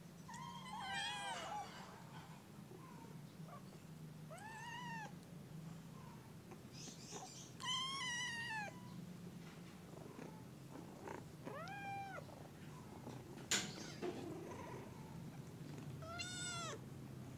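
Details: Kitten in the early morning giving a series of high, arching meows, some rising then falling, spaced irregularly over a steady low hum with a sharp click near the end.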